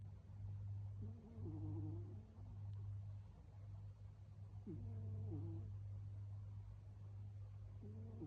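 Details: Sleeping tabby cat snoring loudly, each breath carrying a nasal, whistled two-tone rasp that returns roughly every three and a half seconds over a steady low electrical hum.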